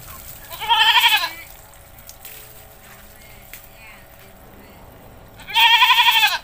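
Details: Domestic goat in a village, bleating while being bathed: two loud, wavering, harmonic-rich bleats about five seconds apart, each lasting under a second, with quiet background noise between them.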